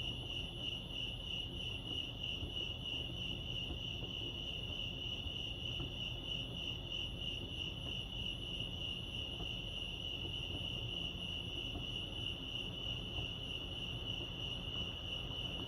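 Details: Continuous cricket song from Lake Arrowhead in California: a piercing, rapidly throbbing high chirp holds steady throughout, over faint low ambient noise.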